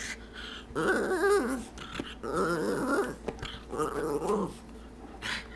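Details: Indoors, Stormy the pet dog 'talks' to ask for a treat from the jar: three drawn-out, wavering growly moans about a second long each, pitch bending up and down like speech.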